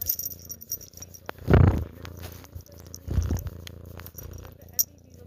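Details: Low continuous purring from a pet cat, interrupted by two loud breathy human yawns that briefly cover the rumble.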